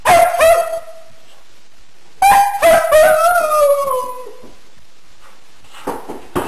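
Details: Pet dog "singing" Happy Birthday: long tonal howls with strong harmonics, one held note then a wavering howl sliding gently downward, separated by a pause, with short sharp sounds at the end.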